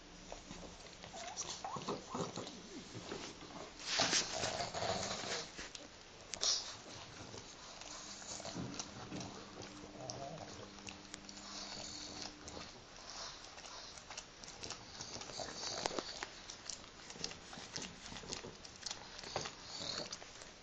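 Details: Two pet pugs grooming each other during their shared morning wash, heard close as soft wet smacking licks, snuffles and clicking mouth noises in irregular bursts, some louder spells between quieter stretches.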